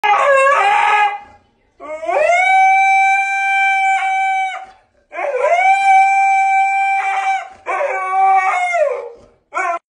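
A husky gives long, wavering howls that rise and bend, pleading to be taken for a walk.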